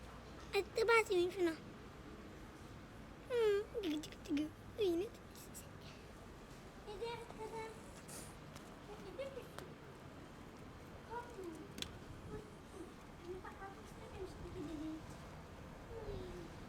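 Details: Sick cat meowing while a blizzard has shut down the roads: a run of three loud, falling, drawn-out meows, then a second series of four, followed by softer, fainter mews scattered over a quiet background.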